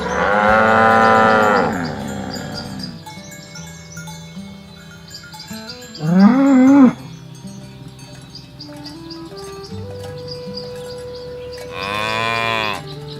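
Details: Cattle herded toward their pen through a rice field ditch in a village countryside, giving three separate drawn-out lowing moos, each a rich harmonic call lasting one to two seconds, with soft background music of steady tones and stepped notes.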